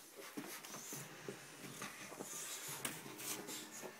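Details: Five-month-old Dogue de Bordeaux puppy Buddy at play indoors, giving brief wheezy whines and snorting breaths in quick irregular bursts, with rustling and knocks from the room.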